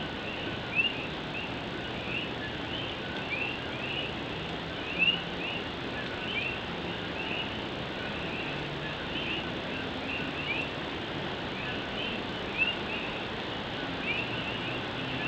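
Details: Puerto Rican coqui frogs sing through night rain in Puerto Rico, their quick upward chirps forming a continuous overlapping chorus, a few nearer calls louder, all over steady drumming of rain on an old tin roof.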